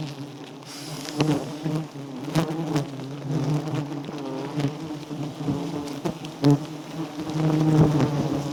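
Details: Giant honey bees at a small wild nest holding plenty of honey, Thailand; a loud continuous buzzing drone, low and richly overtoned, swelling and fading in waves, punctuated by brief clicks and taps of handling.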